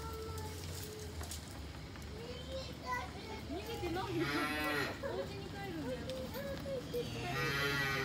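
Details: Cows at Saitama Children's Zoo, Japan, on 25 June 2022, being brought home to the barn after 10:30 because of the heat. Drawn-out mooing with layered tones swells mid-clip, with children's voices and crowd chatter throughout.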